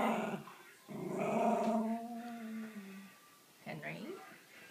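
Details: Miniature Schnauzer throwing a fit after being refused chicken: a short grumble, then a long moaning growl-whine that slides downward over two seconds, followed by a brief rising yip, while a person scolds it indoors.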